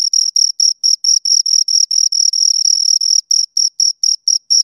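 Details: Two crickets produce bright, high-pitched chirps in a regular beat of roughly four per second, some pulses running together into longer bursts, heard very close with nothing else audible.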